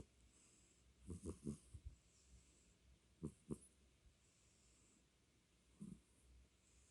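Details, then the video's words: A domestic cat named Beom snoring: short clusters of low, raspy pulses near the one-second mark, another pair around three seconds, and a single soft snore near six seconds, over a quiet, steady background hiss. "고양이 코골이"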